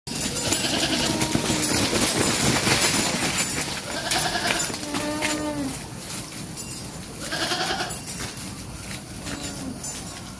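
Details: Sheep being herded on a farm, giving wavering, quavering bleats around four, seven and a half and nine and a half seconds, over a steady wash of broadband noise and rustling from the flock.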